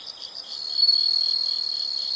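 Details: Insects calling in a natural setting: a steady high shrill trill with pulsed chirps beneath, growing louder after the first second and holding on without a break.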